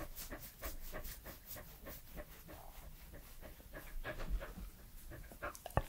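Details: Close-miked mouth noises from Edmundo, a three-year-old Pembroke Welsh Corgi dog: rapid rhythmic panting puffs with smacking lip and tongue clicks, a couple of sharper taps near the end.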